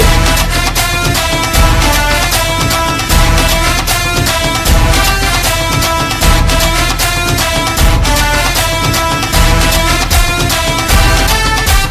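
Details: Loud, dense soundtrack-style music with a driving rhythm plays throughout, and no animal sound is heard.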